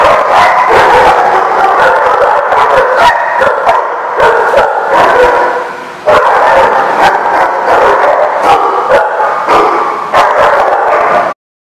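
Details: Constant overlapping barks and yips from a group of dogs at The Barking Lot, 10/3/16, with crisp single barks punctuating the din, a brief dip near six seconds, then silence at the very end.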